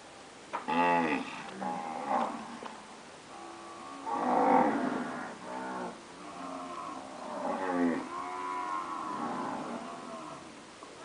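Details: Post-calving Nelore cows, registered purebred stock, call in a chorus of rich, nasal moos, some rising then dropping in pitch, overlapping irregularly and repeated several times with short quieter breaks between them.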